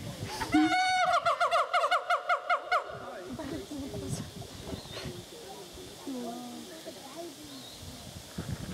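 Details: Siamang gibbons, with a female among them, sing at Dubbo Zoo, NSW, Australia, in a loud burst of rapid, rising whoops that quickly fades into quieter background sounds.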